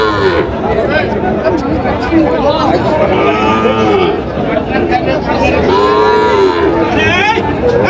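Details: Sahiwal bull calves being sold to a Narsingdi farmer at a busy market on 8 July: bellowing moos swell and fade at intervals, the clearest late in the stretch, while traders talk and a crowd murmurs behind.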